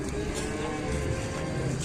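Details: A cow, described as raging and 'possessed', coming down off a truck during unloading gives a steady, low, drawn-out moo held through the whole moment, over a faint hum of background noise.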